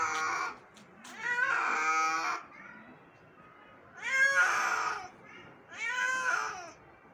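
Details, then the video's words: An injured kitten rescued one morning calls out in three drawn meows, the first longest, with quiet gaps and faint rustling between the cries. "Injured Cat Rescue 🤯 Kitten Meowing Rescue"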